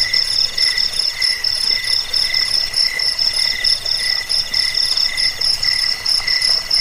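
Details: Crickets used to scare off rats, help with sleep and train birds; rapid high-pitched pulsed chirps, roughly one and a half bursts per second, layered over a faint constant hiss.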